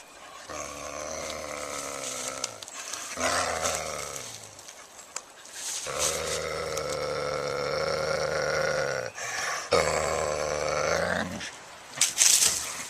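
A coyote gives long, drawn-out, growly calls rich in harmonics, with short pauses between them.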